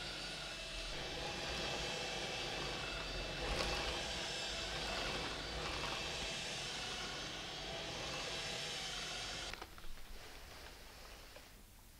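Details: Loud, steady roar of a cordless vacuum cleaner fills the room, with a broad hiss that drops away and quiets near the end.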